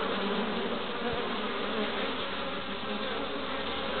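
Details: Honey bees working the entrance of their hive in west Wales, Pembrokeshire, on a March day with pollen loads; loud, unbroken buzzing drone of a busy colony, one faint thump early on.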